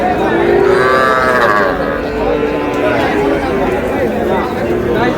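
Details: Cattle at a market where a Faridpur farmer buys very small bulls and heifer calves, 15 May: a drawn-out harmonic moo rises over the steady murmur of crowd chatter and traders' voices.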